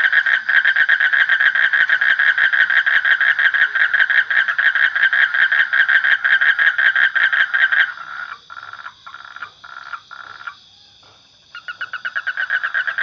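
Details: Frog croaking in a fast, loud, rhythmic pulsed series for about eight seconds, then breaking into short separate bursts with gaps, before the steady pulsing resumes at the end.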